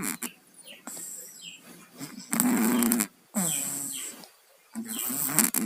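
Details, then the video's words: Sleeping pet cats Tayen and Lilu, both down with colds, snore: rough, buzzy breaths in long bursts of about a second, separated by short quiet gaps, with faint bird chirps in the background. "KUCING PILEK, TIDURNYA NGOROK"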